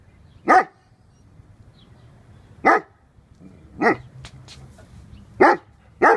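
A Dogo Argentino gives loud, single deep barks with long pauses between them.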